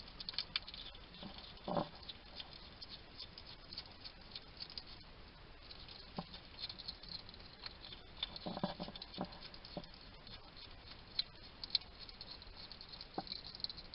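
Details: Wild hedgehog in a Somerset, UK garden chattering to itself as it feeds: busy crackly munching and lip-smacking throughout, punctuated by brief low grunts near the start and a longer snuffling burst midway.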